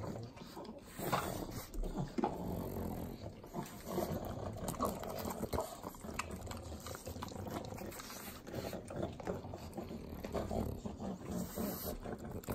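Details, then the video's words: Sloppy licking from three pug dogs eating butter, Southern California: a long, dense run of wet tongue clicks and smacks over low nasal snorts and heavy breathing. "Pugs Eating Butter - Calming Sounds of Sloppy Licking, Snorting"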